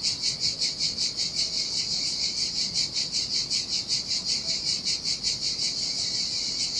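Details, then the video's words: Cicadas sing in the heat by the sea on a desolate beach in Sardinia, a continuous high metallic buzz that swells and fades in rapid regular pulses, roughly two or three a second, over faint surf. "Ocean Waves & Cicada Sounds"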